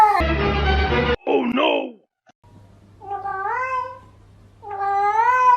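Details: Angry domestic cat making two rising-then-falling wavering meows in the second half, after a short burst of music and a rough, noisy squall at the start.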